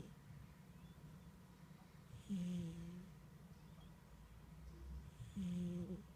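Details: A sleeping domestic cat snoring: two low, drawn-out rasping breaths roughly three seconds apart, each about half a second long, in a quiet indoor room.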